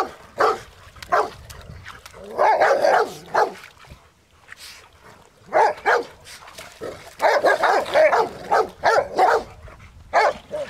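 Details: Rottweilers playing in water give short, deep barks in quick bursts, with pauses between the volleys.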